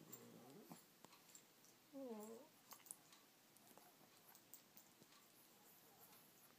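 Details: Yorkshire Terrier waking up in the morning indoors, giving short, wavering, high whining cries, one at the start and a clearer rising-falling whine near two seconds, while a woman talks softly to him.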